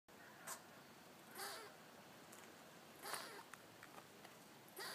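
A squirrel scolds a cat with harsh, rasping barks spaced irregularly a second or two apart.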